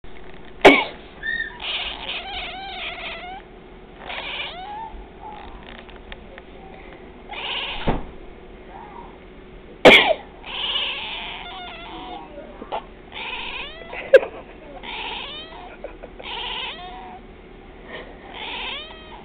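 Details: Twilight, a pet cat, meowing when someone sneezes or coughs: sharp coughs or sneezes near one, eight, ten and fourteen seconds, each followed by bursts of short, wavering, repeated meows with rising and falling harmonics.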